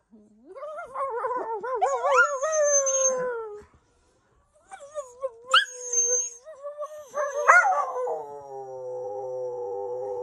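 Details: Howling dogs in full voice: a wavering, warbling howl rising and falling for several seconds, a short pause, then more quavering howls with sharp yelps mixed in, ending in a long, level, drawn-out note.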